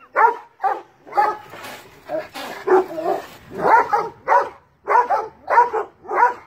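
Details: Barking of large dogs at a cat in a tree, about ninety-seven barks a minute in uneven bursts, some doubled, with a short noisy scuffle in the middle.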